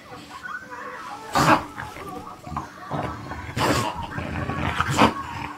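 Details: Vito, an English Bulldog, opens a Christmas present and goes after the wrapping paper: short snorting, snuffling grunts come in bursts, with paper rustling and people talking nearby.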